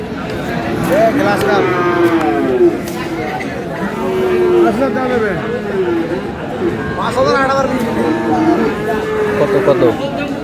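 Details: Several moos from Friesian and crossbred bull calves at Aftabganj haat in Dinajpur on 22 July: low, drawn-out calls, some falling at the end, repeated every few seconds over steady crowd talk and haggling.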